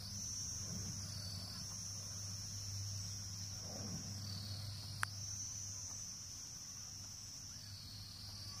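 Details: An insect in the jungle in Nepal gives a steady, high, shrill buzz that hardly changes in pitch.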